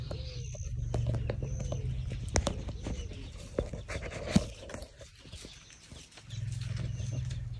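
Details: Herd of wild elephants at night outside a tent in Tarangire National Park, Tanzania, feeding on tree limbs: deep, purring low rumbles, one long at the start and another near the end, with faint bird whistles and rustling between.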